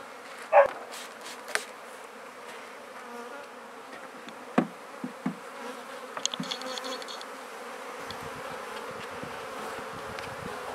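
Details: Honey bees swarming around freshly set-up hives during feeding; a continuous low buzzing hum with a layered droning tone, interrupted early by a few sharp knocks and taps against wood.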